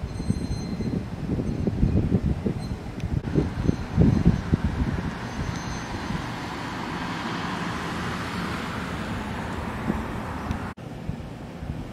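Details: Low rumbling road traffic and passing vehicles, with wind noise and a faint steady high tone, and no animal voice.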